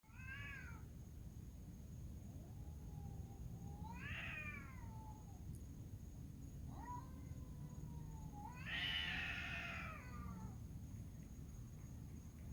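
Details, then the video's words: Cats fighting on a dark night, crying like a baby: several long, wavering, nasal yowls that bend up and down, ending in a louder harsh screeching burst, over a steady low rumble of background noise. "Alien cats spotted making weird noise and fighting"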